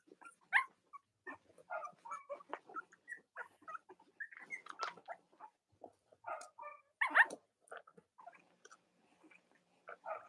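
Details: Young Cavalier King Charles Spaniel puppies, Robin and Myra's litters, on a chilly Monday morning in the US near Halloween: brief scattered squeaks and little whines mixed with clicking, smacking mouth noises, like nursing or chewing, and a few louder yelps.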